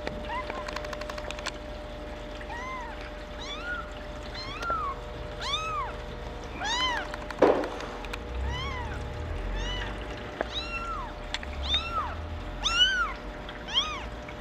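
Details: Female Maine Coon kitten born on April 28, with patched coat, meowing again and again in thin, high, arching mews, some short and some drawn out, with a brief clatter midway.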